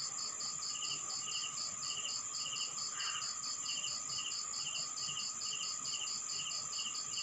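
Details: Crickets on a rural Philippine night, a clean repeating pattern of bright high chirps, several per second, layered over slower paired lower pulses and a steady ringing high tone.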